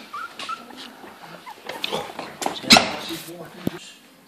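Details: Bichon Yorkie (Yorkshire Terrier and Bichon Frise cross) puppies from a litter of four, 25 days old, play fighting with each other; soft whimpers and a sudden sharp high yip in the middle, with scuffling noises and a human voice.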